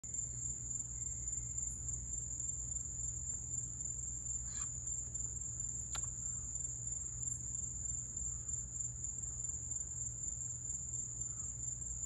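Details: Crickets in Florida in July keep up a continuous, shrill, high-pitched unbroken trill over a low steady mechanical hum, with a few faint clicks.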